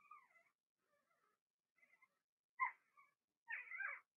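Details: Blenheim Cavalier King Charles Spaniel puppies in an indoor pen, one litter of six; faint broken whimpers, then two louder yelping cries near the end.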